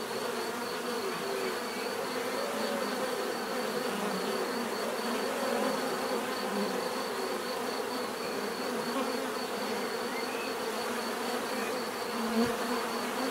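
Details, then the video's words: Steady hum of bees, many wingbeats blending into a thick drone with wavering lower tones and a faint high pulsing line, unbroken from start to end. "bees therapy relaxing natural buzzing sound"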